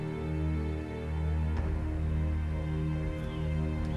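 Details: Soft, sustained instrumental music with low droning tones and no animal sounds.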